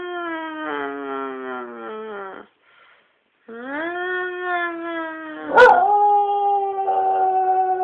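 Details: Domestic dog singing along in long, tonal howls; a steady note slides downward and stops, then after a silent gap a rising howl holds steady, broken by one sharp burst before settling into a sustained tone.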